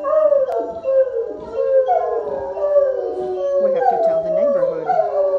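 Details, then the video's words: Several Otterhounds singing together, overlapping long howls with sliding, wavering tones that rise and fall continuously, a chorus of voices layered without pause. "Otterhounds 2017: We Can Sing!"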